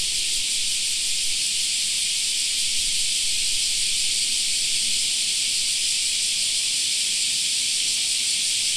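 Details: Summer park cicada chorus, a continuous shrill, buzzing wall of sound from many insects that holds level without pause or change in pitch.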